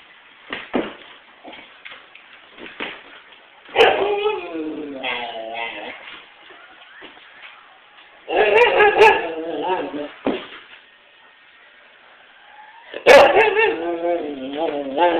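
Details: White Siberian Husky howling and 'talking' in harmonic, wavering, yodel-like bursts, each lasting one to two seconds with pitch sliding up and down, repeated several times with quieter pauses between.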